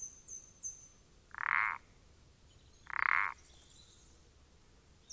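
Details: Common parsley frog calling, recorded 14 April 2020: two short creaking, rapidly pulsed croaks about one and a half seconds apart, each roughly a third of a second long, with faint high-pitched bird notes in the background.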